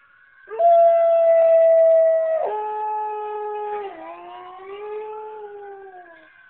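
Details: Siberian Husky howling in response to local emergency sirens: a long steady tonal howl starting near half a second, stepping down in pitch at about 2.5 seconds, then a falling, wavering tail fading out by six seconds.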